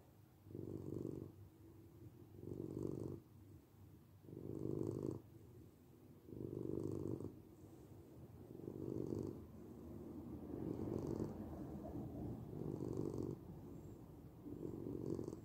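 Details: Domestic cat giving a deep, throaty purr that pulses in about eight regular swells, roughly two seconds apart, with a quieter continuous rumble in between.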